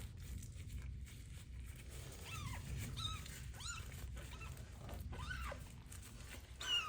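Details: Abandoned street kitten with ringworm during its first bath in medicated shampoo: four arching, high meows spaced a second or more apart over steady low rushing water noise.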